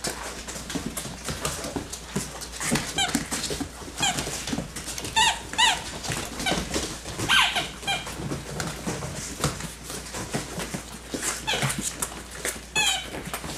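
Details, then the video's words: Yellow and black Labrador Retriever puppies, six weeks and one day old, born to Lucy, an AKC black Labrador, at GraySkyKennels, running, growling and playing; frequent high squeaky yelps and squeals over constant scuffling and pattering paws. "Lucys 6 week old puppies running, growling and playing!"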